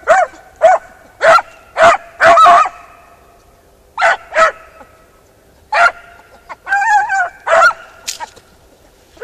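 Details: Beagle Harrier in a ploughed field barking repeatedly, loud ringing yelps in quick bursts, with one slightly drawn-out, wavering bay near the end.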